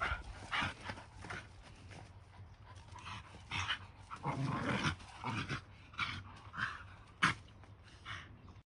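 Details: A Shiba Inu and a mixed-breed dog wrestle in play, giving repeated short yips and growly barks with panting and scrabbling between, one loud sharp bark standing out late on.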